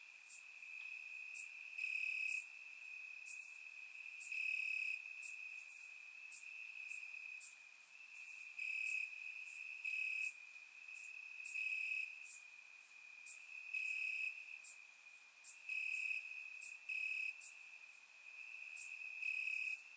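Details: Night chorus of crickets in Bulgarian summer grass, captured with a surround microphone: continuous high ringing trill swelling into louder bursts every second or so, overlaid by scattered sharp, very high chirps from other insects.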